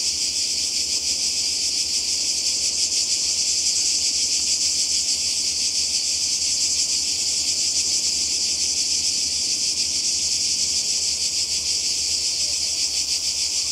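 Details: Cicadas calling by the sea in Croatia in summer 2020: a dense, continuous high buzzing drone with a fast pulsing texture, steady in loudness throughout, with no other clear sounds.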